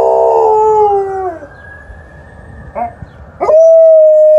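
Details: Alaskan Malamute Liza howling back at an ambulance siren: a rich harmonic note slides gently downward and fades, a quiet gap follows with a couple of short yelps, then a fresh steady howl begins.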